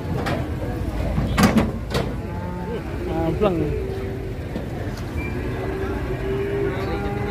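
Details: Agitated fat cattle reported running amok and slipping on a slick road, letting out a sustained low moo after a few clattering knocks, with voices chatting and engine noise throughout.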